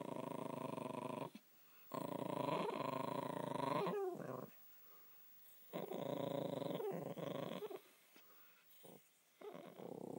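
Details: Josie the Spitz drones in a steady, throaty moan held about two seconds, then a warbling dip, a quiet gap, and another long growly hum, inside a small room.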